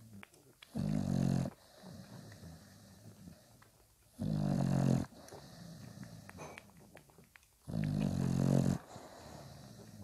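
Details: Five-day-old Bulldog puppies with their nursing mother indoors. Three low, rough, snore-like grunting bursts, each about a second long, come roughly every three and a half seconds over a soft hiss.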